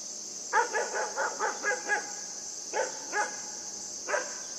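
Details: Puppy Yufie barking during play with a buck, a fast string of about seven short, high yaps, then three more spaced barks, all over a constant high hiss.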